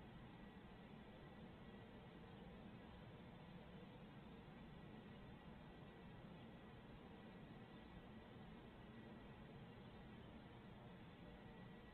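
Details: Steady low rumble of traffic or machinery with a faint constant hum, and no animal calls heard.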